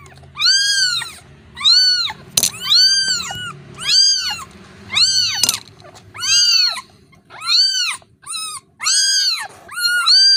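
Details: Kitten that has lost its mother calling for her: loud, high, arched meows repeated roughly once a second, each rising then falling, shrill and insistent, with faint clicks between calls.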